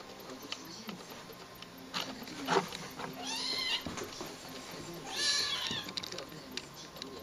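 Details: Skirmish between a ginger cat and a white cat, filmed on a Fuji HS10 camera; harsh hissing spits and brief strained yowls in short bursts, with background noise and faint voices.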